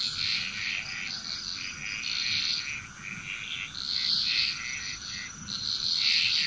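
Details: Continuous dense chorus of many frogs in Bali, Indonesia, layered rattling croaks rising and falling in loudness with no real pause, over a persistent shrill insect tone.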